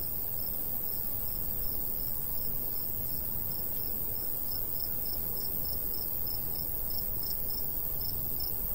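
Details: Crickets in summer countryside beside a golden wheat field, giving high, evenly spaced chirps about twice a second, with a steady insect hum above and a low, constant rumble of light breeze beneath.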